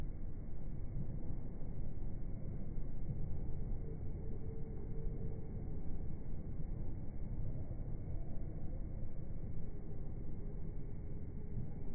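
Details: Steady low rumble of a vehicle with broadband noise throughout and no animal voice.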